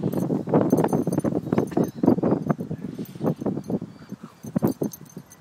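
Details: Two Staffordshire Bull Terriers, Bullet (black) and Butch (brindle), both almost four years old and best friends, playing tug; rough, low, broadband bursts of growling and scuffling come in a fast run of about four per second, fading toward the end.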